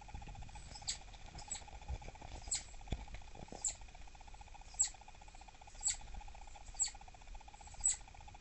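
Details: A female southern flying squirrel, thought by her owner to be irritable perhaps from pregnancy, gives sharp, high chirps about once a second when annoyed around 6 pm, refusing snacks; the real calls are about twice as loud.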